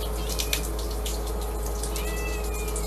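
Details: Domestic cat giving a faint, thin meow that rises and wavers near the end of a short stretch, heard over a steady low hum and background hiss, with a person's soothing voice nearby.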